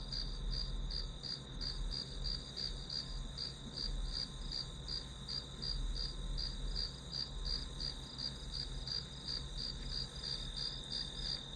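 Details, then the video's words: Continuous chirping of grass insects used as ambient study sound, high pulses repeating about three times per second at an even pace over a soft low drone. "풀벌레 소리"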